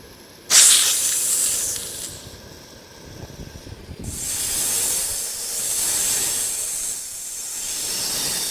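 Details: Snake hissing: a sudden loud, airy, high-pitched hiss that fades over about a second and a half, then a long steady rushing hiss that swells and holds to the end.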